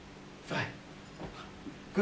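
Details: Gizmo, a 9-week-old Belgian Malinois puppy, lets out one short whimpering yelp, then faint soft whines, while a person gives obedience commands such as sit, stay and good girl in Dutch and English.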